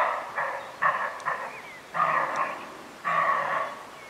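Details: A roe deer buck in the Bieszczady mountains in June 2017 gives hoarse, dog-like barks, each a rough burst, repeated about once a second.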